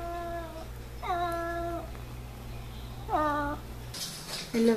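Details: Pet F6 Savannah cat indoors giving three steady, level meows about a second apart, each with a slight upward start, followed by a burst of rustling noise and a short squeak.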